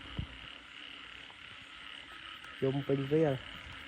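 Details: Frogs calling across a rice field late at night following heavy rain, heard during frog catching; a quiet stretch with a single tap, then a burst of three rapid, rasping harmonic croaks over a faint insect drone.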